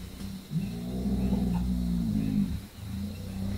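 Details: A Southern African hippo bull gives a deep, resonant, rumbling bellow lasting about two seconds, followed by the start of a second low groan.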